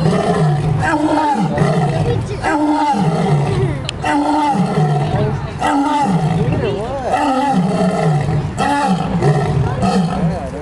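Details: Two lions give deep, drawn-out roaring moans, one after another with little pause between them.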